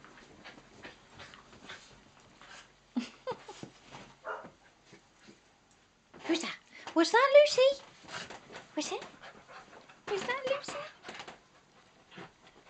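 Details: Two miniature dachshunds, Nellie and Mrs Moo, and two cocker spaniels, Rosie and Lucy, play on Nellie's third birthday. Rough, wavering growls and yips come in bursts near the middle, with scrabbling paws and a woman talking to the dogs.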